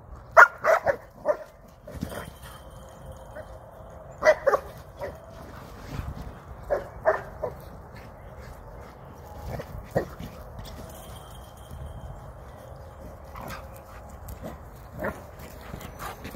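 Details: Old English Sheepdog at play, herding a blue toy sheep on command; short sharp barks come in small bursts, with pauses of several seconds between them, while a person speaks now and then.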